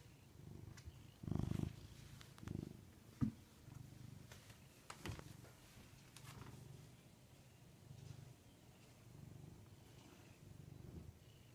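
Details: Domestic pet cat indoors, low rumbling purr in soft uneven bursts, with a few louder thumps and handling noises near the start; otherwise quiet.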